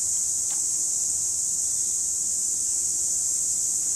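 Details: Continuous shrill chorus of cicadas, 2017, an even, hissing buzz that never pauses, with a brief faint click near the start.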